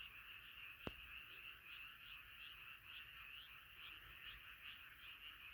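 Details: Nighttime frog chorus: a crowd of frogs croaking at once, rapid pulsed notes merging into a constant rasping trill, one sharp click near the start.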